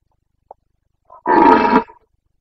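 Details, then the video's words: Rutting Carpathian stag, a red deer of the Bucovina mountains, calling in the breeding season in late September 2022: a faint click, a brief low murmur, then one loud, coarse roar lasting about half a second, ending abruptly in silence. "Boncănit / Carpathian stag Breeding season 29.09.2022"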